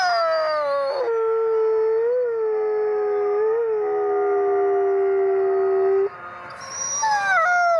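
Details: Pack of gray wolves, including Canadian/Rocky Mountain gray wolf ambassadors, howling together at the Wolf Conservation Center, South Salem, New York; a long level low howl holds for six seconds under higher layered voices, then new high howls enter.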